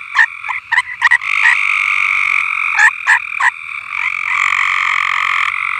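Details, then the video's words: Frogs singing on a farm; short croaking notes repeated in quick bursts, then a steady, dense trilling chorus with separate calls standing out over it. "Frogs Singing"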